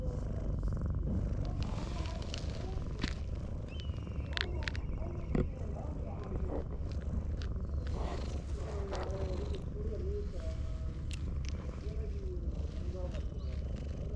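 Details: Affectionate ginger tabby cat, nudging away a rival cat to claim a person's attention, purrs in a continuous deep rumble, with occasional faint voices and small clicks over it.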